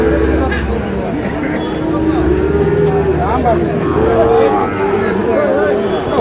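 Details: Sahiwal cattle, a bull calf bought by a Noakhali farmer, recorded on 27 July: drawn-out tonal lowing moos rising and falling, heard amid a constant dense murmur of background voices and crowd noise.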